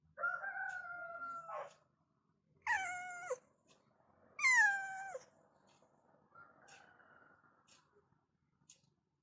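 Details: Domestic cat meowing in the morning to wake its owner in the bedroom; three long, loud, drawn-out meows, the last falling sharply at the end, followed by a softer trailing meow and quiet indoor room noise.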